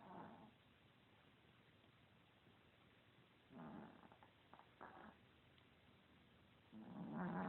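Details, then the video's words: A fat, lazy pet Chihuahua asleep and snoring in 2016. Soft, rough breathy snores recur roughly every three to four seconds, and the last is the loudest and lowest, with faint hiss between breaths. "Chihuahua snoring"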